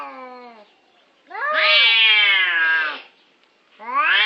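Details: Orange cats squabbling over a parking place: a fading low yowl, then a loud high wavering wail of about one and a half seconds, followed by another rising howl starting.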